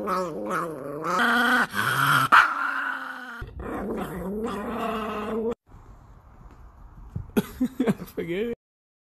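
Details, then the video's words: Angry Chihuahua NiKi snarling in harsh, buzzy growls and quick yips, then a quieter stretch before a final burst of sharp snapping sounds. "The most angry 😡 chihuahua dog in the world"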